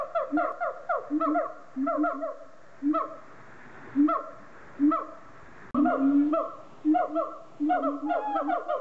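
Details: A siamang at Lagos Zoo, Algarve, Portugal, in 2014 gives loud hooting calls in quick bursts, each note falling slightly in pitch; Siamang.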